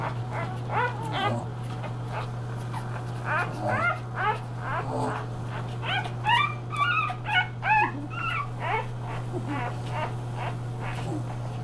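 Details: Three-day-old English Bulldog puppies of one litter seeking their mother's affection: high, quick squeaky whimpers and yips, rising and falling, in irregular bursts over a steady low hum.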